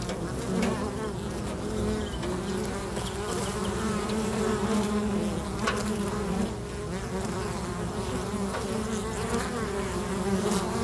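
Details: Many busy bees at a local bee box, producing a dense, steady droning hum with wavering low overtones that swell and fade slightly throughout, plus faint brief clicks and knocks.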